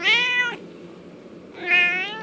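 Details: Loud, bright meows from Merlin, a domestic cat wanting treats; two long harmonic calls, level then gently falling, separated by about a second of quiet.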